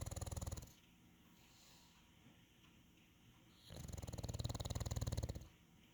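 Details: A calm English Bulldog (Canis familiaris) gives two long, low, rattling snore-like breaths separated by a quiet pause.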